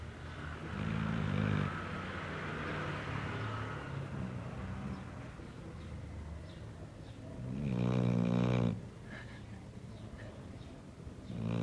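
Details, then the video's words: Layla, a sleeping pet dog, snoring like a person: low rumbling snores with one loud, rasping snore near the eighth second, and softer breathing sounds between them. "Cachorro roncando!!"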